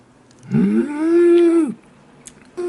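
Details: Ggoni, a pet toy poodle, gives a drawn-out tonal howl-like moan. It rises at the start, then holds a steady pitch for about a second before dropping off. A short second note follows, with people talking around it.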